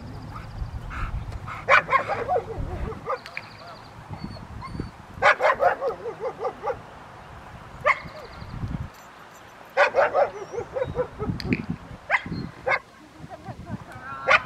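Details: Rottweilers at an obedience training session with distraction at Victoria Rottweiler Club, May 2, 2021: loud, sharp barks in irregular clusters, several quick in a row, then pauses, with some human voices in between.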